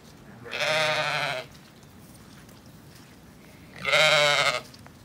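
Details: Zwartbles sheep on a farm in County Kilkenny, Ireland, ewes with young lambs sheltering from gales and rain under orchard apple trees and a high wall; two loud harmonic bleats, each about a second long, separated by a pause, over wind.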